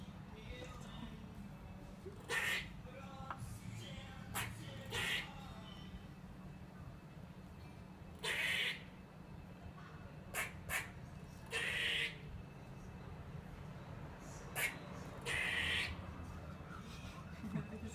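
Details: Squirrel in Whitechapel, East London, hanging upside-down on netting 100 feet up, alarmed at a cat below: harsh broadband bursts, some squeaky and some buzzy, come in irregular bouts every few seconds, with a low steady hum beneath.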